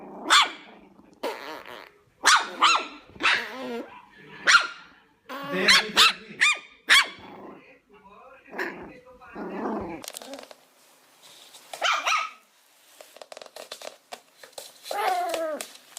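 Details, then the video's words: Chihuahua giving sharp yapping barks in quick clusters, mixed with wavering growls and whiny notes, the barking thinning out and becoming more scattered toward the end. "menor cachorro do mundo #chihuahua #cachorrosfofos #latidos"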